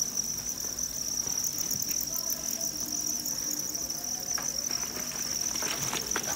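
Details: Farmed field crickets massed at a Vietnamese cricket farm in Nam Định and Hà Nội keep up a steady shrill high chorus, joined near the end by a few soft clatters and rustles.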